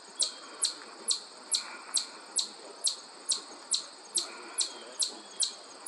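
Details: A chipmunk met on a hike at the Ashokan Reservoir gives sharp, high chips about twice a second, steady and repetitive, over faint background hiss.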